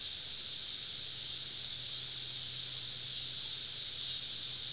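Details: Summer evening cicada chorus deep in southern woods, many insects calling all around a campsite; a steady, unbroken high hiss-like drone holds an even level throughout, with a faint low hum beneath.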